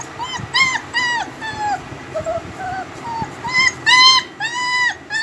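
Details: Home-bred heavy-bone, double-coat German Shepherd puppies whimpering: high, arched whines with bright harmonics, in short bursts of about half a second, some in quick pairs, over low background rumble.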